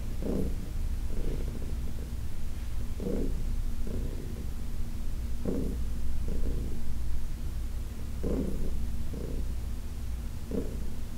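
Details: Heidi, a senior cat adopted from the Humane Society of New York City, purring while being massaged on August 4, 2021: a deep, steady rumble that swells in paired pulses roughly every one and a half seconds, with no other sounds.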